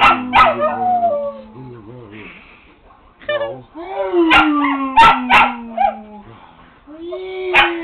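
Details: Pet dog howling along with its owner: long sliding howls held and falling in pitch, mixed with a man's howling voice and sharp clicks or claps between phrases.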